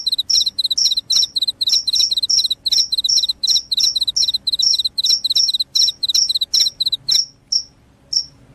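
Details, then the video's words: Cricket chirping loudly, a call said to repel rats and make listeners sleepy: bright high chirps repeated steadily about two or three times a second, ending with a few slower, spaced chirps. "SUARA JANGKRIK PENGUSIR TIKUS, JANGKRIK JANGKRIK SUARA NYARING BIKIN NGANTUK"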